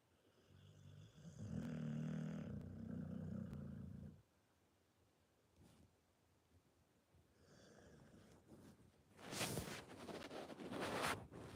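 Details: A Pit Bull snoring: a low, rumbling drone for about three seconds, a quieter rasping breath a few seconds later, then a burst of broad rustling noise near the end.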